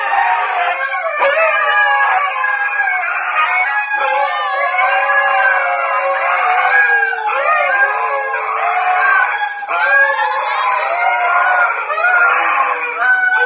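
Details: Key, a husky, keeps up a long run of talkative howling. Looping, rising-and-falling woos follow one another with short breaks, each bending up then curling down, over about thirteen seconds.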